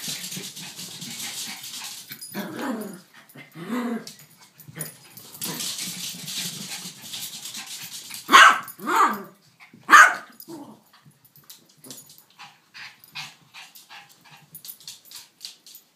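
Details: Yorkshire Terrier Billy and King Charles Spaniel Elizabeth Taylor together, either dog barking: rough scuffling and low growly noise, then three sharp loud barks in quick succession near the middle, followed by quieter rustling.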